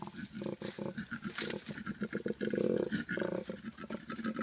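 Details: Male koala in mating season, roaming near a road after feeding on gum leaves all night, giving a territory or challenge call: fairly quiet, low, rapidly pulsed snoring grunts in uneven bursts.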